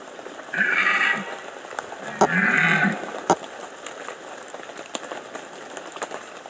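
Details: Two short, hoarse, bleating bellows from a red deer during the 2015 rut in the Bieszczady Mountains, with faint clicks between.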